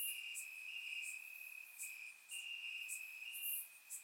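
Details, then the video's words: Crickets trilling through a warm summer night in grassy Bulgarian countryside: a constant bright ringing tone, slightly wavering, joined by quick repeated high chirps from several other insects. "Cricket Sounds - Crickets Chirping at Night"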